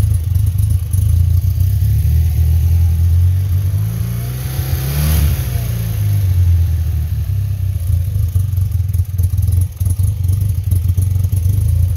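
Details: A loud engine drone swells as a vehicle passes close by mid-clip, then fades back to a steady low rumble, with no animal sound.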